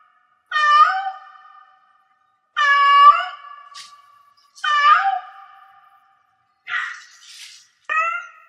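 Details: Cat in heat giving four rich, harmonic meows about two seconds apart, with a brief noisy rasping burst between the third and fourth calls, indoors and otherwise quiet.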